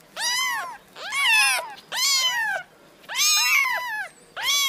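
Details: High, urgent mews from kittens come almost once a second, each call rising and then dropping, against a faint background hiss.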